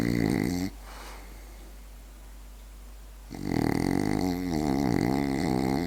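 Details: French Bulldog asleep and snoring: a harsh, buzzy snore at the start, about two and a half seconds of near silence, then a longer, wavering, rattling snore lasting over two seconds.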